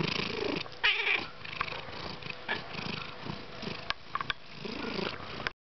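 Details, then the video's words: Domestic male cat that loves to purr and vocalise, indoors: a continuous low rumbling purr runs throughout, with a brief higher vocal sound near the first second and a few sharp clicks or taps. "La chat qui parle"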